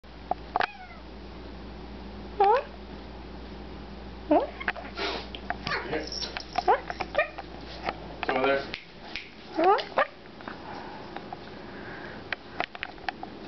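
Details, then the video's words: Siamese cat indoors chattering at a fly, trying to entice it to get caught; short rising chirps and brief meows come at scattered moments, mixed with human speech, clattering and handling noises. "Poppy the siamese talking to a fly"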